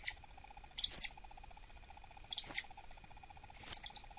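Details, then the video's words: Southern flying squirrel, an annoyed captive pregnant female in an indoor enclosure, uttering bursts of very high, shrill chittering squeaks in three clusters, each about a quarter second long, separated by quiet gaps. "미국남부날다람쥐 짜증났을 때 울음패턴"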